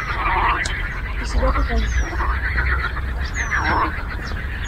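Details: A frog symphony on a lake: a thick layer of pulsed, grating croaks with two louder swelling calls standing out, a few thin high whistles above, and a constant low background hum.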